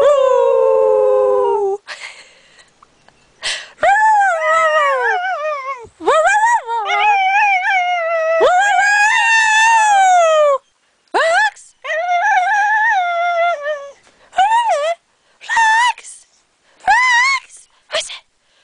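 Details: A pet dog 'singing', giving long tonal howls that rise and fall in pitch, some wavering and some gliding, in bursts of a few seconds separated by short pauses, with no other sounds.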